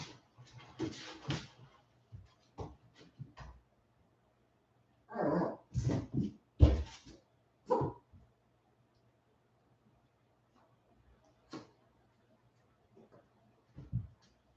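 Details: West Highland White Terrier puppies, 47 days old, indoors after an outdoor break, giving short yelping barks and whimpers in scattered bursts, a cluster of louder yips in the middle, with soft thumps and rustling between.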